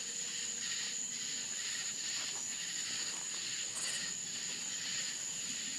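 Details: Night-time crickets in rural Florida: a continuous piercing high tone overlaid by soft, pulsing trills that swell and fade every second or so, plus a brief brighter buzz near the end.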